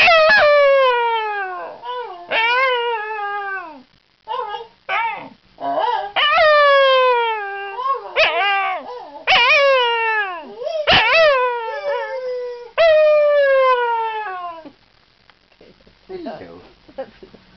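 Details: Howling Scottish Terrier, Basil, getting closer each time to a spoken-sounding hello: bursts of rising-then-falling whining howls, short yips between them, phrases growing choppier midway and trailing off into soft whimpers at the end.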